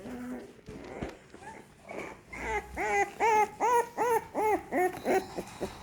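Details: American Staffordshire Terrier puppies from a second litter, crawling and growing more active. After soft scattered squeaks, a run of about ten clear, arched, tonal whimpers comes quickly at a steady pace, each one rising then falling.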